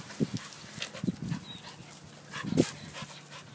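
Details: Sydney, a female pet dog, plays excitedly in a garden hose, giving three short, low, gruff bark-like huffs spaced about a second apart, with soft snuffling between them and a brief hiss near the end.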